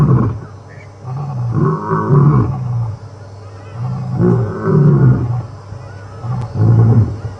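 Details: Male lions on an afternoon safari drive on 25 September 2015, after grooming each other, roar together in a synchronized call, deep moaning bursts rising and falling in unison.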